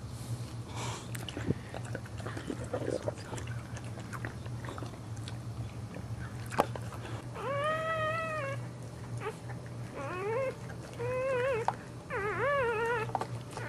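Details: Female dog giving birth to her pup while standing; several high, whining whimpers with bent, wavering pitch come in bursts over the second half, over a steady low hum indoors.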